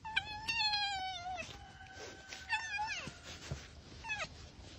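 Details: Arctic fox being petted by its owner, giving a wavering whine that slides downward, then a long flat tone, a short falling cry and a brief final whimper, with scattered handling noises.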